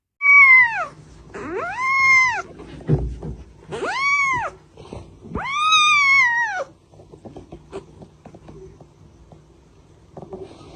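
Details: Kittens meowing: four loud, drawn-out meows with rising-then-falling pitch, each about a second long and spaced roughly two seconds apart, followed by quieter faint rustling.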